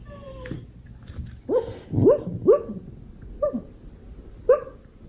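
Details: Honey, a pet Beagle, gives a run of short barks and yelps, each sharply rising then falling, about five calls spaced roughly half a second to a second apart, with a longer whine at the start; quiet room background.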